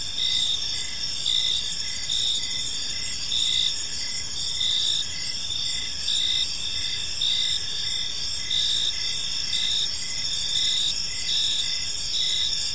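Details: Evening park crickets trilling without pause, high-pitched layered ringing with rhythmic pulses in the upper bands, small swells in loudness every second or so, and a gentle low background hum.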